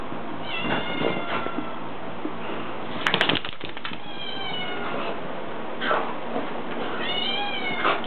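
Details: Italian Greyhound dog drying off after a bath, giving high, thin whining cries with wavering harmonic tones in several short bouts, a loud rustling burst near the middle, and steady background hiss.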